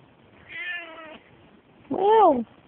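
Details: Old female Turkish Angora pet cat indoors giving two meows: a long, flat, nasal one followed after a pause by a louder, arched, wailing meow that rises and falls.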